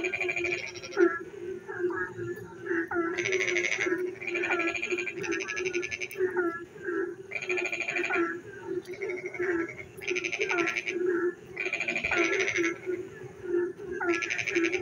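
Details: Frogs calling at night while it rains, in the countryside: repeated buzzy, pulsed croak bursts every second or two, with short upward-sweeping notes between them and a constant low chorus underneath.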